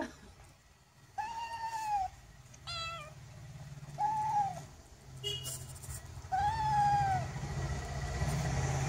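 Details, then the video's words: Cats cleaning each other; three clear, arched meows rise then fall, spaced a couple of seconds apart, with a steady low hum and a brief clatter in the background. "Cats cleaning each other"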